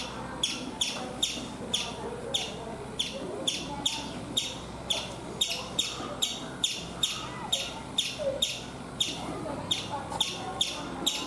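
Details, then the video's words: Repeated shrill chips from a chipmunk on a coconut tree in India, about twenty sharp notes in eleven seconds, evenly spaced, over soft background noise. "Chipmunk making sounds"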